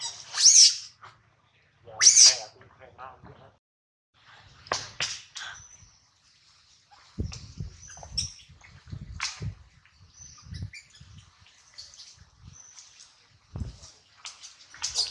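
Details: Baby monkey named Adler, held in the hands of a small monkey, crying because he misses his mother and is hungry: two piercing high screams close together at the start, then softer scattered squeaks and rustling.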